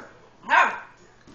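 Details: A single short bark from an 8-week-old Beagle puppy, scared while playing with a tom cat indoors; one sharp burst rising and falling, with quiet room noise around it.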